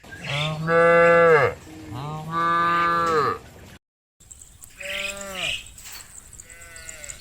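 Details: Cows calling their friends to come home to the barn: two long, loud, droning moos of about a second and a half each, falling at the end, then a brief silence and a third, softer moo.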